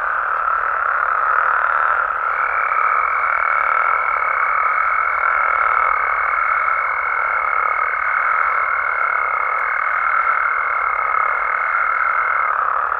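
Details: Nighttime chorus of frogs and toads in their natural Mexican habitat. A thick, continuous mid-pitched drone fills the whole recording, and a clear, steady higher whistle-like tone runs on top from about two seconds almost to the end.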